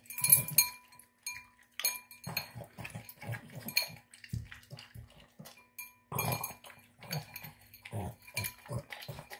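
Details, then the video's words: Pet Boston Terrier eating a tuna, egg and kibble dinner, snorting like a pig; short low snuffly grunts in irregular clusters, with sharp clinks of food or dish between bursts and a quiet gap mid-way. "Boston Terrier Snorting Sounds Like a Pig Snorting Down Dinner"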